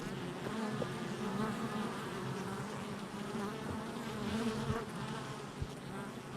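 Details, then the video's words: Honey bees at a hive entrance on July 22nd, 2024, a dense steady droning hum of many bees with shifting wingbeat tones throughout, slight rises and falls in loudness, no other clear sounds. "Honey Bee Hive Entrance Activity"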